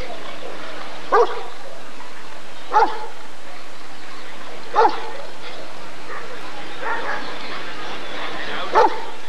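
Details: Single sharp barks from a Rottweiler at the ADRK breed survey of 1994, five evenly spaced blasts across nine seconds, with quiet human voices in the gaps.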